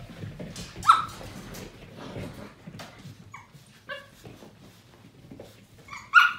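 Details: Seven-week-old Portuguese Water Dog puppies playing: a few sharp high yelps and short tonal squeaks, one near the start and one at the end, between soft scuffling sounds.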